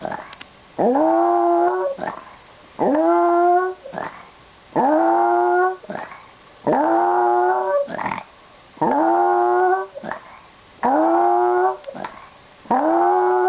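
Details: Pet dog making a weird noise before its owner leaves for school: drawn-out harmonic whining moans, each rising then held for about a second, repeated roughly every two seconds in a steady series.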